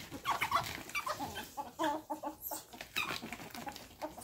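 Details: Pet ferrets Rusty and Onyxy at play, trading short squeaky whines that sound almost like fighting; quick bursts of thin, wavering squeaks come in a rapid, uneven patter, with scuffling noises between them.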